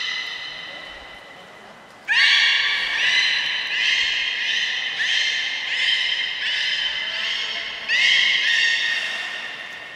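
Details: Captive beluga at Port of Nagoya Public Aquarium, 3 November 2023, in play time after feeding; after two quiet seconds, a run of about six nasal, harmonic squeals, each near a second long, steady in pitch with a sharp rising start.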